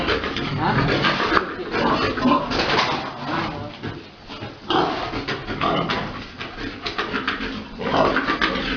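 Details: Breeding-farm pigs, a big boar mating a sow; rough grunts and snorts in clustered bursts separated by brief lulls near four and seven seconds, with faint voices in the background.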